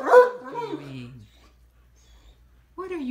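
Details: A Great Dane in bed, complaining and refusing to get out: a long whining groan sliding down in pitch and fading, a pause of quiet, then another short grumble starting at the end.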